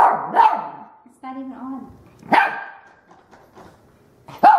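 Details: Puppy, a female, barking indoors at a vacuum cleaner met for the first time: a loud sharp bark opens, then a drawn-out harmonic whine, another bark, and a final sharp bark, with a human voice in between.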